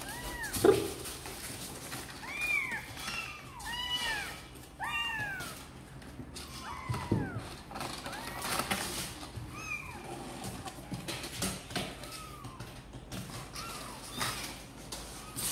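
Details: Several kittens from Sor and Kapov, wanting out to play, mew repeatedly in rising-then-falling arcs, clustered calls early, then sparser, thinner cries over a faint steady hum and occasional knocks.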